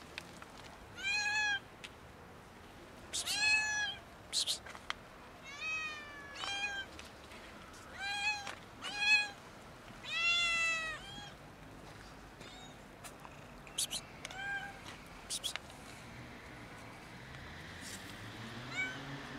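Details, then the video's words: Domestic cats, a kitten and two adults, meowing loudly while asking for food; harmonic, arched meows repeated in bursts every second or two, some overlapping, with short broadband clicks and rustles between them. "Kitten and two cats MEOW loudly and ask me for food."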